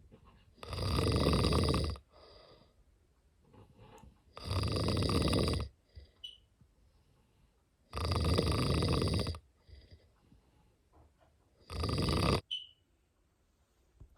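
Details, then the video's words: Steady snoring from a sleeping cat: four loud, grating snores roughly every three and a half seconds, each about a second long, with faint wheezy breaths and small squeaks between them. "Snoring cat"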